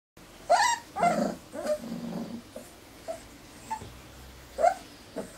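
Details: Four-week-old Irish Terrier pups indoors, recorded 29 January 2011, giving scattered short whimpers and yelps with rising harmonic tones, separated by pauses and a low murmur.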